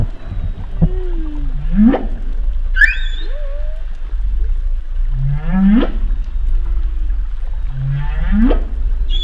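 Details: Underwater humpback whale sounds: a repeating phrase of low grunts sweeping sharply upward into whoops, heard three times about every three seconds, plus a short high chirp and faint bending moans beneath a low steady rumble.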